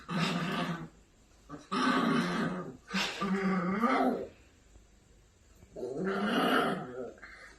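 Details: Maltipoo puppy, angry, indoors: long harsh growls lasting around a second each, with a wavering, rising-and-falling tone, four bursts separated by brief quiet gaps.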